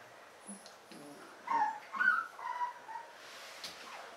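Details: Malamute puppies from a litter start quietly, then let out a short run of wavering whines in the middle before fading to faint rustling.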